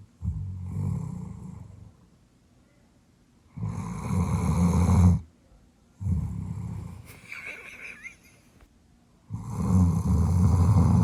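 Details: Female Doberman named Rich, born June 2018, snoring loudly while asleep at night indoors. Deep rumbling snores come roughly every three seconds, with quiet pauses of breath between them.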